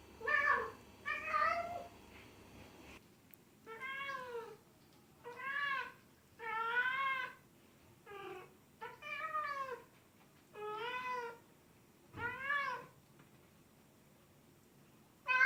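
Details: Loud cat meowing in a steady series of about ten short, bright meows, each rising then falling, spaced roughly one to one and a half seconds apart in a quiet room.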